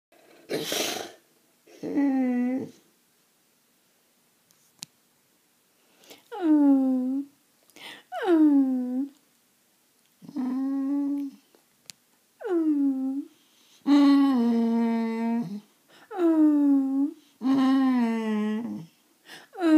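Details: Riley, a male Boxer, vocalizes when he feels he is not getting enough attention: drawn-out whining moans that slide downward, given in separate bursts of one to two seconds with short silences, after a brief sneeze-like burst at the start.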